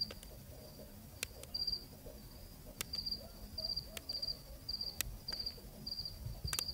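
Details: A cricket at night in Zambia, recorded on site, starts after a quiet moment, then repeats bright pulsed chirps about nine times, with loud intermittent clicks and low background noise.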